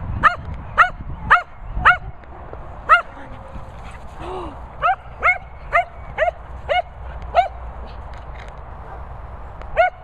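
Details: Cocker Spaniel dashing around, barking in quick bursts: about a dozen short, high, ringing yelps, mostly half a second apart, with one brief pause in the middle, over background rumble.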